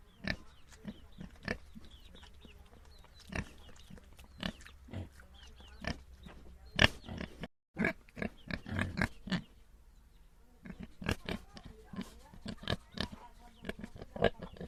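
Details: Several short, throaty grunts from small domestic pigs, spaced irregularly at first, then bunching into busy snuffling and oinking bursts after a brief silence midway.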